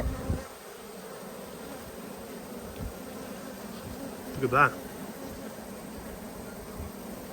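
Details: Honey bees during a hive inspection dated 19 March 2022: a steady low droning hum holds throughout, with a brief louder rustle and handling sound midway.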